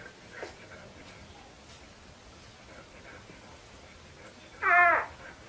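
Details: Red-coated Siberian husky puppies indoors; one short, high, wavering whine with stacked harmonics rises near the end after a few seconds of quiet room hiss.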